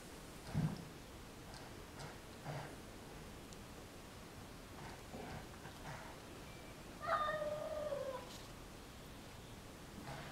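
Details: Julio, an indoor cat, calls out wanting to play with a neighbourhood cat that regularly visits; a single drawn-out, slightly falling meow of about one second arrives late, preceded by faint soft knocks and rustles in a quiet room.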